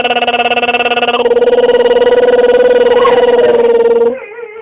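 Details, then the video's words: Jessy, a pet dog, makes a funny noise indoors: one long, steady, tonal whine-like hum, held at a nearly even pitch with a fast pulsing wobble for about four seconds, then dropping away to a faint low tail. "my dog jessy doing funny noise"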